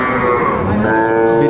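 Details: Young bull calves sold at a Comilla cattle market, Bangladesh, 6 January 2025. A short, sustained, even-pitched bellow shifts slightly upward partway through, set over a low hum of bargaining voices.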